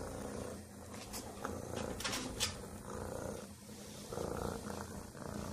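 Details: Stray female kitten purring after being fed; a soft, continuous low rumble with brief clicks and rustles over a steady background hum.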